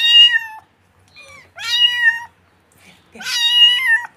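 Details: Young kitten calling with three loud, wavering meows, with soft, short mews between them. Each loud cry rises and then tails downward. No other sounds are present.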